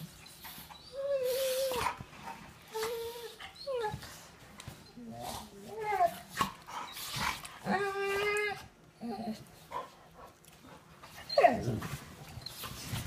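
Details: Blue brindle Cane Corso playing with a sister dog after dinner indoors. Short whining and moaning vocalizations, some wavering, come in bursts every second or two, with a low growl late on and people talking in the background.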